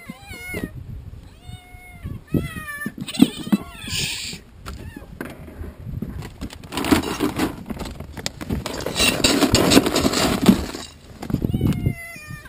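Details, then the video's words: Hungry farm cats at feeding time, eager for food; a few clear wavering meows early on, then broadband clatter and rustling from the feeding crowd with faint voices. "Cats feeding frenzy"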